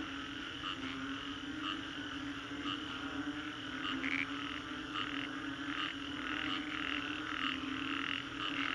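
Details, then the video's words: A post-storm frog chorus recorded in Singapore's Green Corridor: many overlapping croaking calls, with some sharper individual notes standing out against a continuous steady drone. "Frogs after Storm, Green Corridor, Singapore"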